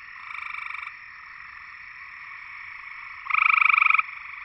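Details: Gray treefrog (Hyla versicolor) from Georgia gives short, musical pulsed trills, each under a second long, over a soft background chorus.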